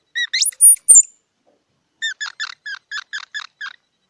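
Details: Squirrel calling: a few sharp squeaks sweeping upward into thin, very high whistles, then a pause and a quick run of about eight short, nasal chirps spaced roughly a quarter second apart. Quiet background.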